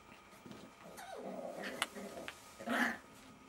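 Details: Jack Russell Terrier puppies from Silvi's litter at play, giving soft whimpering whines that build into a short, higher yelp near the end, with faint rustling indoors.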